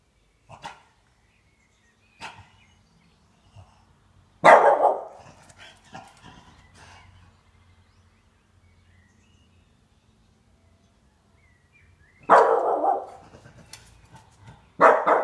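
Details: A 12-month-old French Bulldog vocalizing for the first time gives short, hoarse, mid-pitched bursts at irregular intervals across quiet pauses, with faint clicks in between.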